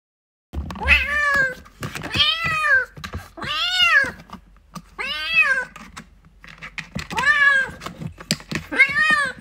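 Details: Domestic kittens fighting and playing, meowing loudly: six arched, harmonic meows about one to two seconds each, spaced irregularly, with scuffling thumps between calls.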